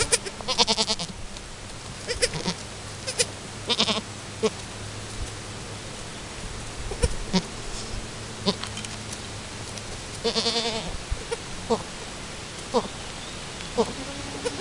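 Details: Chamois-coloured Alpine goat Chiara with her newborn kid at her first kidding, attempting to nurse; scattered brief bleats, a few louder and tremulous, separated by several seconds of rustling and a low steady hum.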